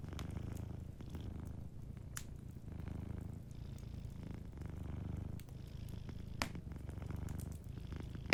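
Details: A sleeping cat purring softly in a low, steady rumble that swells and fades in slow breathing cycles, with sparse crackles and pops from a fireplace.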